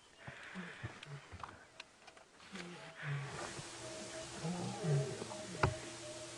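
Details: A lioness of a pride at a buffalo carcass on a bright early-summer morning (13 September) gives soft, low, moaning grunts in short bursts, calling her full-bellied cubs, who ignore her; faint background noise, doves and a person speaking quietly.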